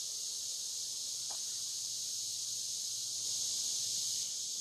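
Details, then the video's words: Cicadas recorded from dusk to dawn on the Licking River in Morning View; a dense, steady high-pitched insect drone with a shrill band and lower buzzing layer, swelling slightly near the end, plus one brief faint low knock. "Cicada to Cicada - a 12 hour accoustical journey on the Licking River in Morning View"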